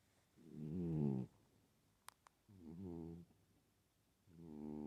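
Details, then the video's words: Loud snoring from a sleeping female pet cat: three rasping, harmonic snore bursts, the first the longest and strongest, separated by quiet pauses, with a couple of faint clicks between breaths. "Loud snoring kitty"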